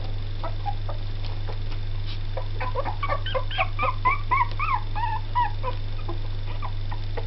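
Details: Jack Russell Terrier crossed with Yorkshire Terrier puppies, two weeks old, making bursts of thin, wavering whimpers and squeaks, loudest midway, over constant low hum.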